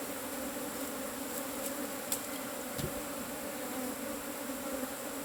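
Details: Asian honey bees buzzing at a cavity nest during a harvest: a steady, droning hum with strong low tones, holding level throughout, with a few faint clicks and taps.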